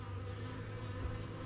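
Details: Swarm honey bees fanning at a new hive entrance near a nuc box in an apiary; a dense, continuous low hum holds steady throughout, with one brief thump near the end.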